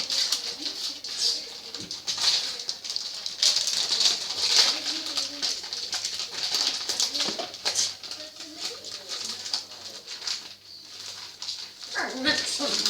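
A French Bulldog sneezes again and again in quick, snorting bursts.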